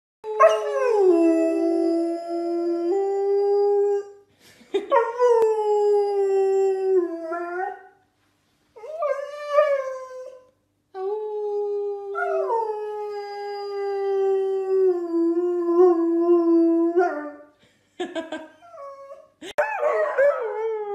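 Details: Dogs or puppies howling like wolves: long sustained tonal howls with rich harmonics, several drawn-out notes sliding down then holding steady, separated by short pauses, ending in a few broken yelps and whines.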